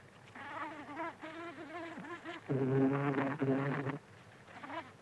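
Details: Close-up buzzing of a buff-tailed bumblebee, Bombus terrestris, visiting flowers to feed. A deep droning hum with many overtones lasts about a second and a half mid-clip. It is framed by fainter wavering, warbling hums before and after.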